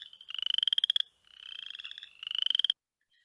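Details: Boreal chorus frog gives rapid, rising, percussive trills of clicks, like a finger run along a comb; the chorus is at abundance index 1, with calls not overlapping.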